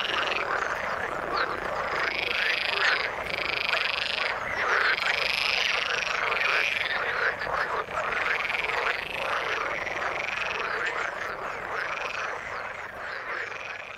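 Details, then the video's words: Frogs in the water give a dense, ongoing chorus of rapid rattling croaks, about three per second, with longer buzzy trills rising above the steady overlapping calls. "Frog sound in the water"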